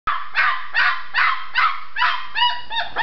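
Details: Red tri-colored Australian Shepherd puppy, a female shut in her enclosure and wanting out, yapping in a quick run of about seven sharp, high barks, one every half second, loud and close indoors.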